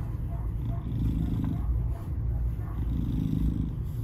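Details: Salem, a lonely 2.5-year-old black male cat with FIV, surrendered to Baltimore County Animal Services in Baldwin, Maryland, recorded 07/02/2022; rich rumbling purr, steady and low, rising slightly in brief surges.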